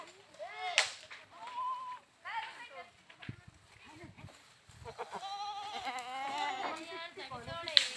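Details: Goats bleating in a series of quavering, wavering cries, some short and some drawn out, with a long trembling chorus of overlapping bleats near the end and faint background noise between calls.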